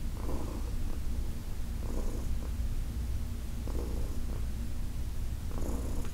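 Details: Heidi, a senior female cat adopted from the Humane Society of New York City, purring under massage: an even low rumble with breathy swells at irregular intervals of one to two seconds.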